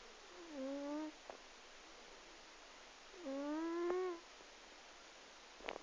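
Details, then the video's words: A 12-year-old domestic cat asleep and snoring very loudly. Two tonal, humming snores about a second long, roughly three seconds apart. Each one rises slightly and then holds steady. Faint clicks fall between them in a quiet room. "My cat Sophie... Snores!"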